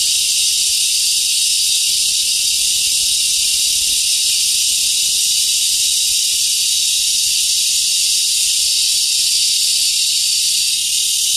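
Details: ['Cicada song heard in summer along a daily route to work, insects hidden among leafy tree branches; a steady, unbroken high-pitched shrill buzz holds for the whole stretch with no other clear sounds.']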